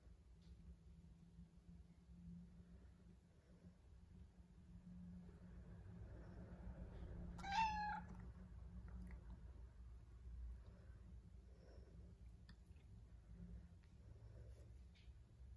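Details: A domestic cat gives a single clear, tonal meow midway through, rising then falling briefly, over a steady low hum and faint room noise.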